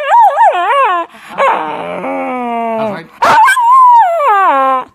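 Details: A male Miniature Schnauzer gives wavering, yodel-like whines and moans, insisting on being let outside to relieve himself.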